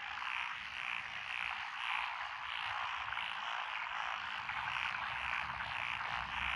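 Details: Frogs calling in lotus rice paddies on a country road in Echizen, Fukui, in June 2021; thick chorus with a rhythmic rising-and-falling throb repeating roughly every half second over a continuous croaking background.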